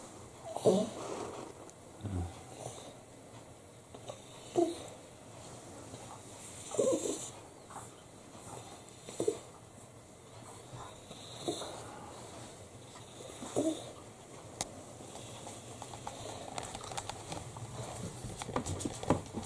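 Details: Italian Greyhound Bella, a female dog with her first litter, giving birth to white puppies indoors; faint short whimpering squeaks every two seconds or so, with soft breathy noises between and quiet room background.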